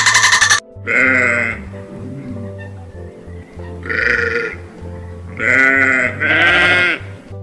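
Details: Sheep bleating in short harmonic bursts, one near the start, another around the middle, then two louder back-to-back bleats toward the end, over steady background music.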